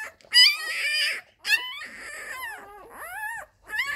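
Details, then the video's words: Nursing Labrador Retriever puppies at their mother: loud squealing whines and yelps in bursts, some long arched tones bending up then down, separated by brief quiet gaps. "Die Welpen an Mollys Milchbar"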